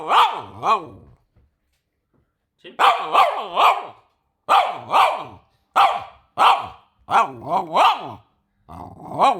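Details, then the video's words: ['A French Bulldog reacting when people sneeze. It gives bursts of short, arching, grumbling yelps that rise and fall in pitch, roughly fifteen over nine seconds, with brief silent pauses between groups.'] "French bulldog when we sneeze."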